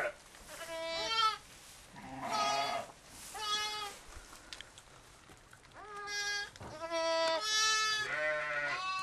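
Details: Newborn lambs born as triplets on a New York farm in October 2010 give a run of high quavering bleats, some overlapping, with occasional lower adult sheep calls in a quiet barn.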